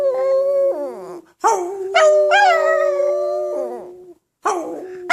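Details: A Chihuahua singing along with a person: wavering, drawn-out howls over the person's steady, sustained singing tone.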